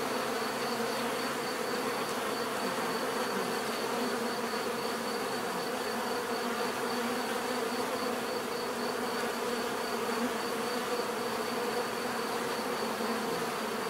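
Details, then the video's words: Natural bee buzzing meant for relaxation and sleep: a continuous swarm-like drone of many bees, unbroken and level for the whole stretch, with a thin steady high tone running over it. "bees therapy relaxing natural buzzing sound"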